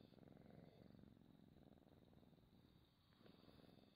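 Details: A pet cat purrs softly and steadily, recorded close up as ASMR. The low, rapid, rumbling pulses continue without a break. A faint high hiss lies behind them.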